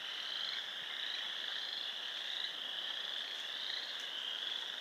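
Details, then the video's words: Frogs calling together at a pond in Sanborn, New York, late March 2020: an unbroken, shrill trilling chorus of many overlapping voices holding a steady high pitch throughout. "More frogs making noise"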